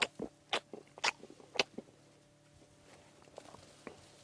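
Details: A large female African elephant on a private game reserve in pre-dawn darkness munches happily, breaking sticks: loud crunching, tearing bursts about twice a second, then softer munching, over a steady low mechanical hum.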